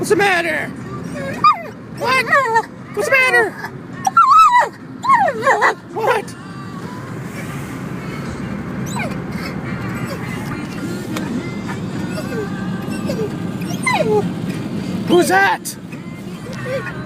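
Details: Female dog in a car, excited at a motorbike ahead: rapid high yelping whines in bursts over the first six seconds, followed by steady road noise, with a man's voice talking over her.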